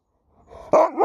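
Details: Pet Alaskan Malamute named Sherpa cutting off his owner's sentence with a sudden loud, harmonic woo-like yodel that wavers in pitch after a faint breathy lead-in.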